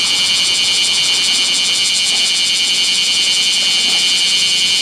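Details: Roadside bear cicada in extreme summer heat beyond 39°C, filmed 7 August 2020 by a national road; a continuous piercing electric-sounding buzz, evenly pulsed and very loud, with little else audible.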